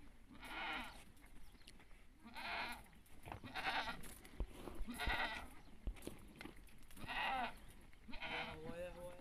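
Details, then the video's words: Goat giving birth, with others gathering around her; a series of wavering, harmonic bleats about every one to two seconds, mixed with close human voices and handling noise. "معزة وهي تولد"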